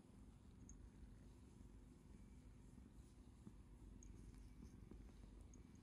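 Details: Affectionate pet cat nuzzling a person's hand and reaching out its paw; continuous low, even purring rumble with occasional faint ticks and rustles of contact.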